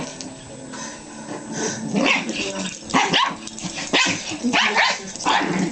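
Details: Pringle, a Pomeranian Chihuahua, and Stewie, a Jack Russell Terrier, wrestle playfully ferociously on a bed; sharp barks and growls break out roughly once a second at irregular intervals over rumbling, throaty snarls.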